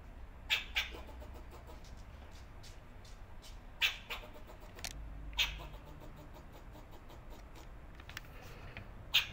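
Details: Squirrel recorded in January 2024 with a BMPCC 6K camera, repeating sharp, clipped chucks, often paired in quick doublets, spaced several seconds apart, with faint ticking and a soft low hum beneath.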